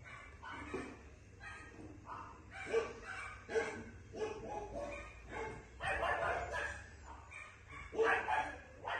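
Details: Female Maltipoo puppy giving a series of short, high yapping barks in uneven bursts, some close together and others spaced a second or more apart, in a quiet indoor setting.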